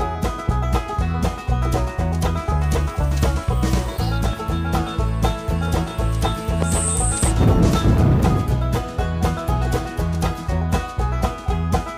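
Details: Upbeat banjo-driven country music with a steady beat fills the whole stretch, with no animal voice standing out.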